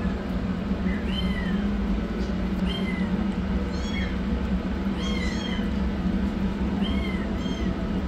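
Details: Rescued yellow kitten running for food, giving a string of about eight high, thin meows, each arching up then falling, spaced roughly one second apart, some in quick pairs, over a steady low background hum.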